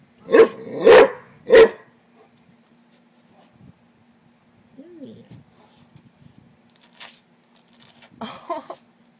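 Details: Rottweiler named LuLu, a pet that dislikes frogs, barking at a frog: three sharp, loud barks in quick succession, then quiet speech and faint rustling.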